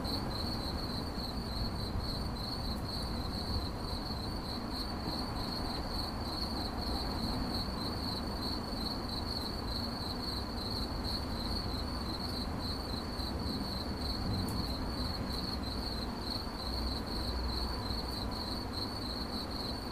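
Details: Unbroken cricket chirping: a high, rapidly pulsed tone holding steady for twenty seconds, with a constant low droning noise beneath and a few faint clicks.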